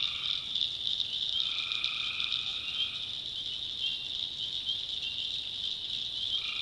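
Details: Tree frogs in a North Carolina swamp at night, many voices merging into an unbroken high buzzing trill, with a few longer, lower droning notes near the start and end.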